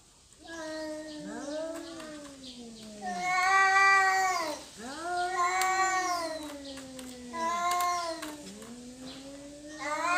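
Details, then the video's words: Domestic cats in a territorial fight: overlapping, wavering howls rising and falling, loud swelling yowls about every two seconds, two cats trading cries. "Kucing Berantem Rebutan Wilayah"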